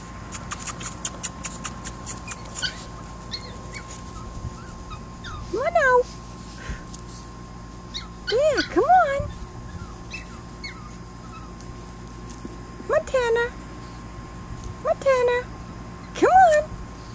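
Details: Chihuahua puppies, three of them, outside on grass for the first time while playing. High, arching whines rise and fall in short bursts every few seconds. A person's coaxing voice calls to them between the cries.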